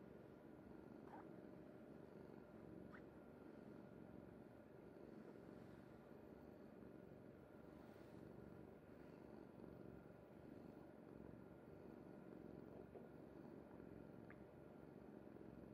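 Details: Pet cat Kuri-chan dozing soundly on mama's bed, giving a quiet continuous purr, a low even drone with no pauses, and a couple of faint small clicks in the room.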